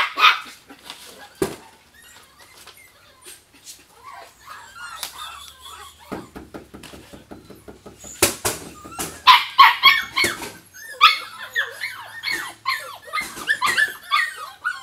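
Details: Jack Russell Terrier puppies giving a busy mix of short high yips, sharp barks and squeaky whimpers, scattered irregularly and growing denser in the second half, with clicks and rattling handling noises between calls.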